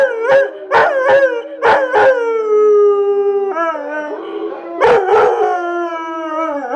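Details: ['A dog singing along with howling dogs on a screen. Sharp yips open the clip, then a long steady howl slowly dips in pitch, followed by more yelps and a drawn-out falling howl.']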